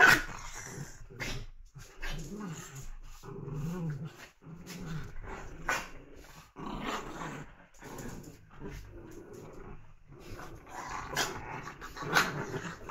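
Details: Playing puppies give a varied run of low growls and small yips over steady background hiss, with scratchy scuffles and knocks as they wrestle.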